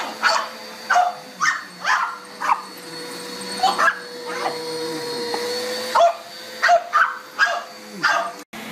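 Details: Dog facing a running vacuum cleaner: bursts of quick barks, a pause during a louder whine of the machine, then another rapid run of barks near the end.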